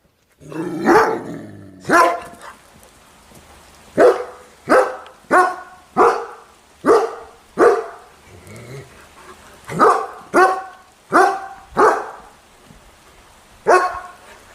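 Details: Angry German Shepherd puppy barking: about fourteen sharp, harmonic-rich barks spaced roughly one second apart, some coming in quick pairs, against a quiet background.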